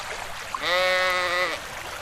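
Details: A single steady, nasal bleat lasting close to a second from a lamb grazing in a cool forest, over a soft wash of background noise.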